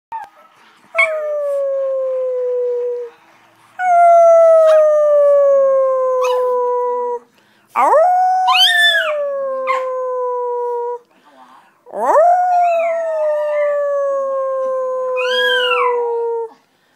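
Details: Dog howling like a little wolf: four long, drawn-out howls of two to three seconds each, each starting with a sharp rising yelp and then gliding slowly down in pitch, with short silent gaps between them.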